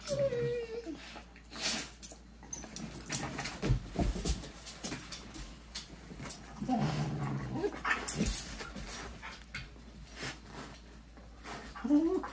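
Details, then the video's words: Two dogs, Macy and Lilly, play fighting on a couch, nibbling at each other's faces and wagging their tails; low rumbling growls and a short whine come between soft thumps and rustling indoors. "Dogs Adorably Play Fight on Couch"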